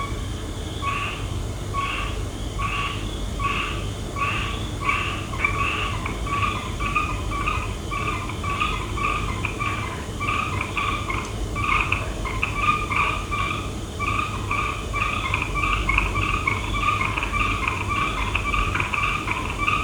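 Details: Frogs calling at night: a steady chorus of short, nasal, two-toned croaks repeated in quick series throughout, several callers overlapping, over a low constant rumble of background noise.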